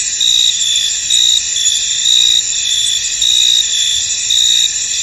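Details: Crickets in a misty field, a dense steady high-pitched chorus with a louder trilling burst pulsing out about once a second, each burst lasting roughly a quarter second, with no other clear sounds.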